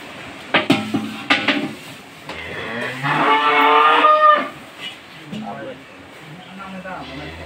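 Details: Cattle being restrained for a foot-and-mouth disease vaccination: a single drawn-out, harmonic moo lasting over a second, preceded by sharp knocks and thumps, with background music playing throughout.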